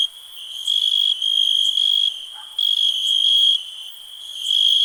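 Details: A steady, piercing cricket ring swells into a few louder, buzzy pulsed bursts lasting around a second each, then eases back to the softer constant tone.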